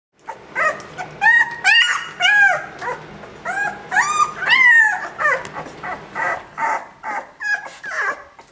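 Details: Two-week-old bull-type puppies; a string of high, bending squeals and yelps, several rising then falling, overlapping in quick irregular bursts about twice a second.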